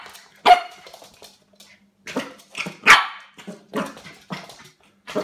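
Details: A Pembroke Welsh Corgi puppy, tussling with cups on first meeting them, gives sharp, high yips and short barks amid clattering noises.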